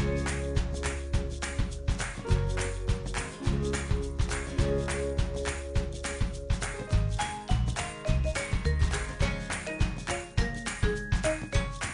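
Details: Upbeat music with jingling, tinkling percussion and a pulsing low beat plays throughout, with no animal sound heard.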